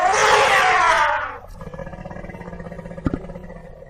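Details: African elephant giving a loud, harsh, brassy trumpeting blast that lasts about a second and a half, then fades into a low, quieter background with a brief sharp knock near the end.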